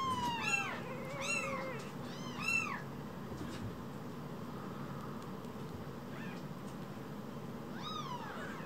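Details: Two tiny rescued baby kittens calling indoors; a burst of high, arching meows in the first three seconds, several overlapping, then scattered fainter cries and one more rising-falling meow near the end over a low steady hum.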